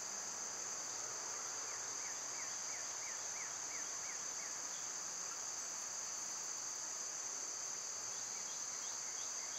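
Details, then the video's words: In summer, when they are loud, cicadas keep up an unbroken shrill buzz, while a run of about eight quick rising chirps sounds early and fainter chirps return near the end. "Birds & Squirrels w/ Cicada sounds"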